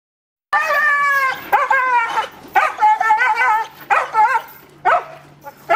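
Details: Belgian Malinois doing bite work on a round table against a decoy in a protective suit during protection training; loud, harmonic, strained barks and whining yelps in quick bursts, about eight outbursts in under six seconds.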